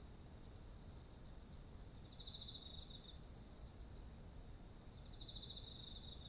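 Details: Beside autumn rice fields heavy with grain, insects sing: evenly spaced high chirps, a fainter descending trill in between, and an unbroken very high whine, with soft low ambient noise.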